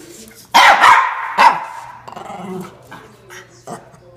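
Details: Norfolk Terrier, male, defending his bean bag chair indoors; two sharp loud barks in quick succession, followed by softer rustling and muffled sounds.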